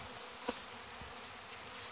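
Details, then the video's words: Many young honey bees on their orientation flight on 17 August 2019: an even, airy buzzing hum with one short sharp tick in the middle. "Zborul puietului de albine luna august"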